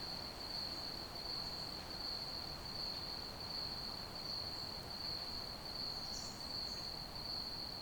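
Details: Steady chirping of crickets as night ambience, a shrill, evenly pulsed trill that never changes pitch, about eighty pulses a minute, with one faint, higher chirp late on and a low background hiss.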